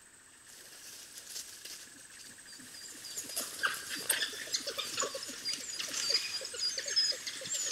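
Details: African wild dog puppies at their den: after a quieter start with steady insect buzzing, a burst of high, squeaky twitters and chirps builds from the third second, overlapping in a busy, uneven chatter.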